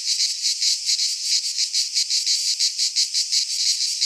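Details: Greek pine-forest cicadas in midsummer giving a harsh, high buzzing drone made of quick rhythmic pulses of slightly varying strength, continuous for the whole stretch.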